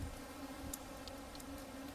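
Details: Many bumblebees buzz around a bumblebee trap at Historic Blakeley State Park, making a low, steady hum that stays soft and continuous.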